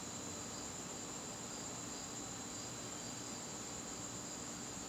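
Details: Garden crickets on a September evening give a continuous thin, high-pitched ringing, with a gently throbbing lower trill woven through it over quiet background hiss.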